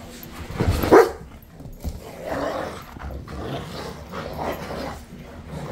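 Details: Two pet Rottweilers fighting over a single bone although several bones are available, each wanting the one the other has; a sharp bark-like burst near the start, then rough, low rumbling growls in uneven surges.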